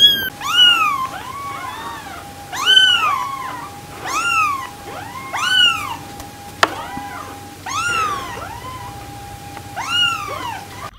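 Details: Kitten mewing repeatedly, paired arched calls roughly every one and a half seconds over a steady faint electrical tone and a single sharp click.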